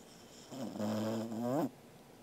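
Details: Angela, a sleeping Welsh Corgi, snores on 13 August 2021: one drawn-out, nasal, tonal breath, steady and droning, then sliding upward just before it stops abruptly.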